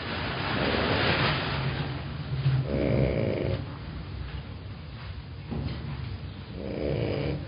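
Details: Small female Dachshund snoring in Mexico, slow rumbling breaths with broad noisy bursts around 2.5 and 7 seconds, low steady rasp throughout between them.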